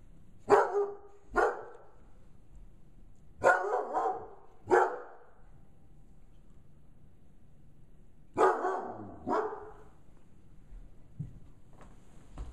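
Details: A 5-month-old female Bloodhound, scared by a gorilla puppet, gives deep, loud barks in short bursts of two or three, separated by quiet pauses.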